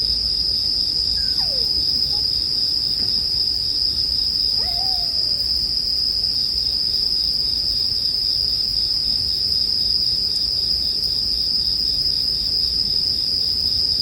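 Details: Bell crickets keep up an unbroken high ring next to a crackling bonfire, while a couple of faint, curving, hoot-like notes from another animal surface early on.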